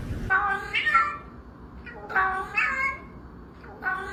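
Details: Cat repeatedly meowing in short, bright, nasal calls, about four meows in quick succession with brief gaps between them, over quiet room noise.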